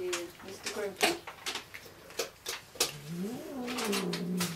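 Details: Cat at Dove Cat Rescue sanctuary waiting to be rehomed, indoors: a drawn-out, wavering meow that rises then sinks over the last second and a half, after sharp clatters and a woman speaking.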